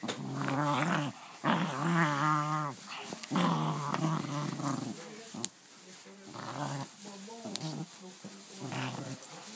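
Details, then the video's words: Indoor dog playing with a new toy utters wavering, gremlin-like growls: strong warbling bursts early on, then softer grumbling pulses with a few faint taps. "My dog making out with his new toy sounds like a gremlin"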